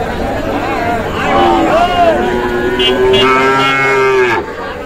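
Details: Sahiwal cattle, bull calves at a market in Kushtia, Bangladesh, on Friday 9 June; a drawn-out harmonic moo, wavering then steady and slightly rising before cutting off, with earlier shorter bellows and background hubbub.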